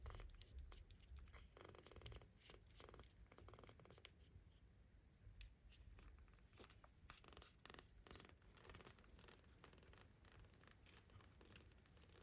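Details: Four ginger kittens curled together in one warm pile after grooming and yawning, drifting off to sleep with soft tiny snoring: a steady low rumble throughout, broken by faint clicks and light rustling.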